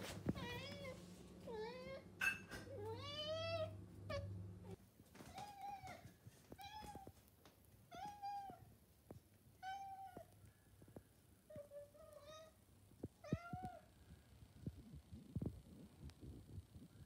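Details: Pet cat, a male, asking for breakfast indoors beside a cabinet; a rapid series of short, upward-bent meows, about a dozen in the first fourteen seconds, early ones overlapping clatter and a low hum, then quieter tapping.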